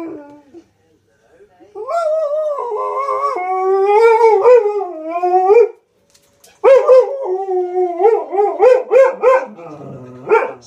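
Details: Malamute husky cross dog talking to wolves howling on a Steve Backshaw TV show: quiet opening, then a long wavering howl, a pause, and a rapid string of pulsing, chattering howl syllables.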